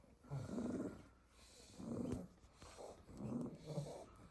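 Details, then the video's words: Staffordshire Bull Terrier puppies asleep together in a basket after a full day playing in the garden, snoring in soft, low rasping bursts, three main breaths about every one and a half seconds, with faint background hiss. "A basket full of snoring staffy puppies"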